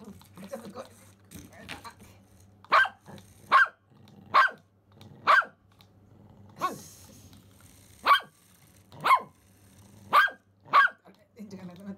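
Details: Simba the Pomeranian, thrilled by a remote-control rat he has never seen before, lets out irregular short high barks, some paired, with small whines and low humming noise in the gaps.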